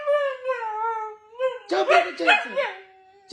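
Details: Husky howling in short wavering tones that fall in pitch, then a person's voice and laughter take over with a short yelp, while someone calls the dog over repeatedly.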